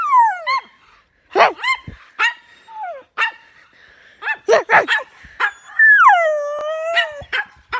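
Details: Pet dog making weird noises: a falling whine, scattered sharp yips and barks in quick clusters, then a long drawn-out whine that drops and levels off.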